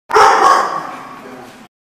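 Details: A single dog gives one loud, broad, hoarse bark lasting about a second and a half, starting sharply and fading gradually, with no other sounds around it.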